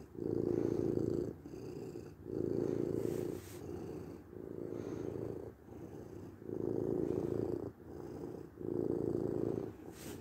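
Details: Domestic cat purring steadily in low, rumbling bursts, each lasting about a second, loud inhale-exhale phases alternating with softer ones in a smooth rhythm, with a quiet room in the background.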